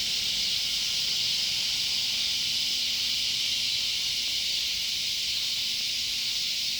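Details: Cicadas calling loudly by a sunflower garden, one continuous high, sizzling buzz with faint rapid pulsing inside the drone.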